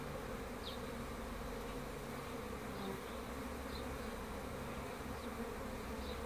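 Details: Even, droning buzz of honey bees lasting the whole stretch, with a handful of faint high chirps spaced a second or so apart.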